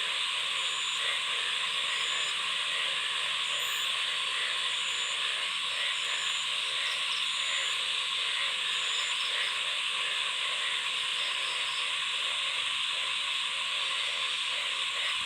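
A dense night chorus of frogs, with rapid pulsed croaks overlapping in a continuous rhythmic din.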